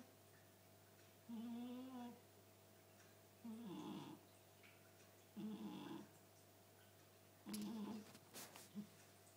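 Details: A Chartreux cat snoring very loud; rasping, vibrating snores recur roughly every two seconds, each a short grating burst followed by silence, over a constant low electrical hum.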